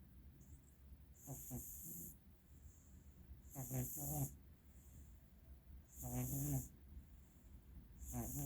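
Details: Pet cat Frankie, a female with very bad allergies, snoring in her sleep: wheezy, nasal snores with rasping whistly overtones, about one every two to three seconds, each paired with a hissing breath, over a low steady hum.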